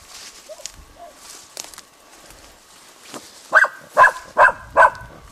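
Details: Dora the dog barks at a dead roe buck, 21 July 2011: after quiet rustling, four loud, sharp barks come in a steady series about every half second.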